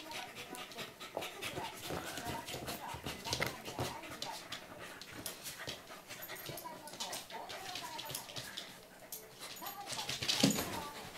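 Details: A corgi at 5:56 in the morning gives short, whiny whimpers and soft vocal noises, with a person talking nearby; Corgi.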